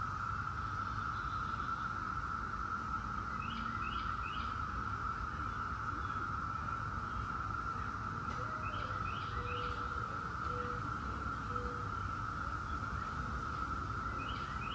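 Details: Brood X 17-year cicadas drone in an unbroken, unchanging chorus for the whole stretch, with occasional short bursts of bird chirps and a few soft whistles over a low outdoor rumble.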